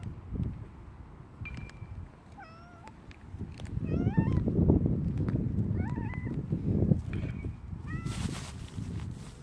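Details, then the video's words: Two domestic cats, a silver tabby and an orange tabby, greet their owner at the door on 17 January 2025, rubbing against them; thin, rising-falling meows come in short clusters over a steady low rumble and rustling. "今日のお出迎え 鳴き声とスリスリ"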